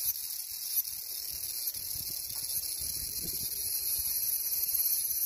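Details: Cicada singing a dense, unbroken high hiss that swells slightly louder toward the end, with faint low murmurs underneath.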